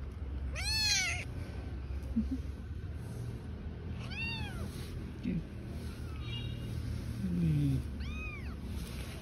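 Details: Stray cats on the street, a mother with her newborn kittens: three high, arched meows spaced about four seconds apart, the first loudest, with faint human voices and low traffic-like rumble behind.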